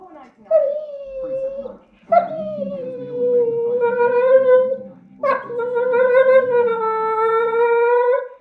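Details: Staffordshire Bull Terrier indoors begging for leftovers after dinner; a sharp yip opens into long, steady, drawn-out howling whines, three in a row separated by brief pauses, with low voices faintly underneath.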